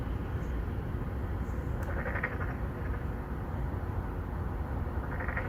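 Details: Narrow-mouthed frogs, 맹꽁이, courting females in an apartment-complex pond in Songdo, Incheon, South Korea, filmed with a Galaxy Note9; two brief nasal croaks about three seconds apart against a constant low rumble of city traffic.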